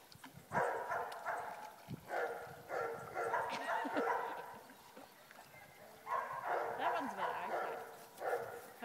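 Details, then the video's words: Border Terrier Clover, a female show champion, fetching her ball from a farm dam; bursts of excited high yipping barks come in clusters, with pauses between, and a person speaks briefly. "Border terrier retrieves ball in dam"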